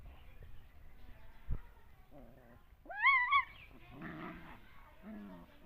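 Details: Puppies fighting: a loud, high, wavering yelp rises sharply and holds for about half a second midway, followed by rougher, lower whining and growl-like sounds, with quieter murmurs and faint background noise around it.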